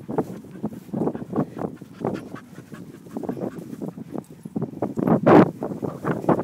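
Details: Two English Springer Spaniels, Lara aged four and Lottie aged 21 months, out on their morning walk; quick rhythmic breathy panting pulses repeat steadily throughout, with one louder sharper burst near the end.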